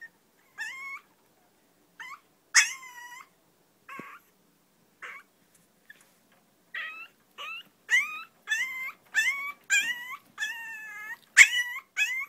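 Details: Long-coat chihuahuas Choco and Maron indoors, high whining whimpers with bending pitch, scattered at first then coming in quick bursts nearly every half second toward the end, with some sharper yelps mixed in.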